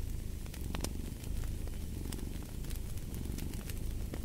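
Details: Deep rumbling purr of a cat under a steady stream of fireplace crackles and pops, the throaty vibration pulsing gently over a few seconds.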